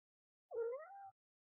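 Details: Single low, drawn-out meow from a mother cat addressing her newborn kitten on its first day, starting with a dip and rising gently toward the end, with nothing else audible.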